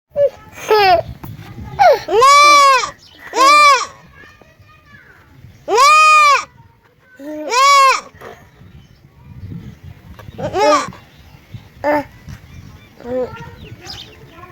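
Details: Baby goat bleating repeatedly, a series of wavering, nasal baa calls of varied length, some short and some drawn out, with quiet gaps between them and faint human voices in the background.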